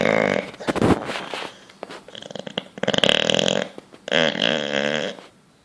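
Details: Bulldog fast asleep, snoring while dreaming and twitching: rough, raspy breaths in bursts, a sharp snort near the first second, then longer rattling snores with a buzzy, wheezing quality, separated by short quiet gaps.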